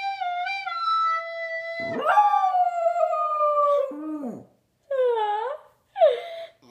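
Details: Dog howling in response to a recorder: steady recorder notes open, then a long wavering howl that slides gently down, followed by two shorter rising-and-falling howls, with clear gaps between.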